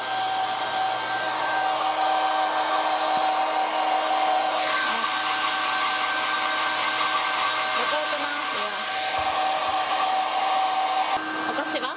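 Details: A steady, loud hair dryer roars throughout indoors while a small dog is dried after a walk; no animal voice is heard.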